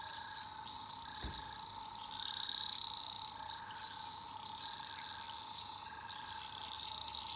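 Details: Night chorus of eastern dwarf green tree frogs in an Australian rainforest. A shrill continuous trill swells and fades over a constant droning tone, with brief chirps recurring roughly twice a second and one sharp knock.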